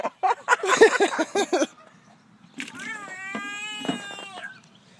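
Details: A handled frog gives a drawn-out, meow-like call with stacked harmonics, about two seconds long, steady and then dipping slightly at the end. Loud human laughter and voices come just before it.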